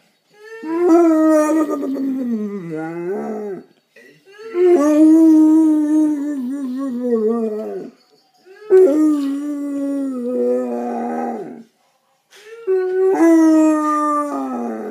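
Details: Lucy, an 11-year-old pet Basset Hound, howling or singing indoors: four long, wavering howls, each around three seconds, that slide downward at their ends, separated by short silent pauses.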